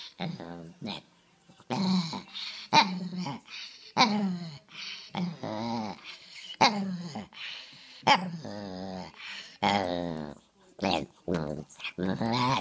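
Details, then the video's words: Talking rescue Chihuahua uttering a long run of word-like sounds indoors, short wavering moans and grumbles rising and falling in pitch, over a dozen bursts in quick succession with sharp clicks between, resembling speech rhythm. "Talking Rescue Chihuahua"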